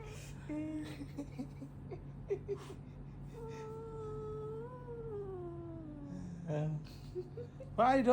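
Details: Indoor pet cat, annoyed at not being allowed to chew a charging cable, gives a long wavering whining meow that rises then falls; a woman's voice and small handling noises around it.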